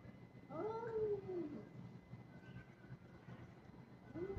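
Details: Kitten in an aggressive mood gives one long, arched meow that rises and then slowly falls, a quiet gap, then the start of a second meow, with a steady low hum behind.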